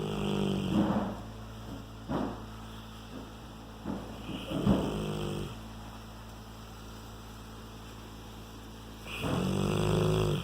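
A Rottweiler snores in deep, rumbling breaths with a harsh, throaty rattle.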